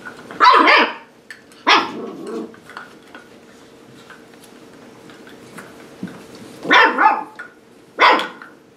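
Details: Seven-week-old puppies of Sparkle playing at their new play station give sharp, high yapping barks: two early yips, a long quiet gap with faint rustling, then three quick barks near the end over a steady low hum.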